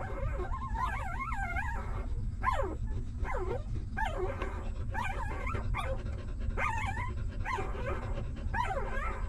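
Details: Newborn stray puppies suckling milk beside their mother: a run of wavering, yelping whimpers, about one every second, each bending up and down in pitch, with a continuous deep rumbling noise underneath.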